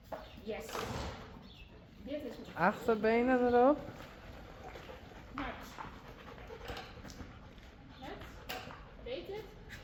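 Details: Friesian horses Blomke and Belle going wild: a quavering, wavering whinny lasting about a second rises out of the background midway, with people talking before and after it.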